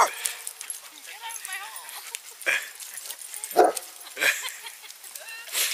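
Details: St. Bernard puppies, brothers, with a very large dog at a dog run, negotiating over a hole; a few short, sharp barks and yips break out between stretches of human talk and outdoor noise.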